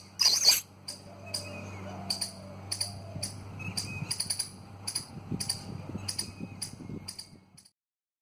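A squirrel gives a series of sharp, rasping clicks, repeated about twice a second over a low hum.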